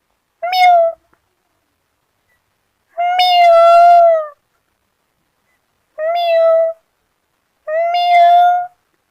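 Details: A cat (Felis catus) playing in grass gives four drawn-out meows, each a clear harmonic wail spaced a few seconds apart.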